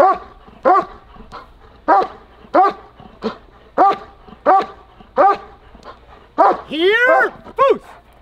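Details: German Shepherd in protection training barking on command: loud, harsh barks repeated roughly every half to one second, with a rising yelping bark mid-clip, and a man's encouraging voice between barks.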